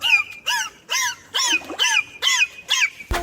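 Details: Dolphin whistles made through the blowhole, not the mouth: seven short, arched chirps with a bright rise and fall, repeated quickly about twice a second, ending with a dull thump.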